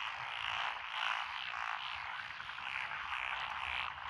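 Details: Japanese frog chorus in lotus paddies beside a country lane in Echizen, Fukui, 12 June 2021. A dense buzzing trill rises and falls in waves, with many overlapping frogs calling continuously.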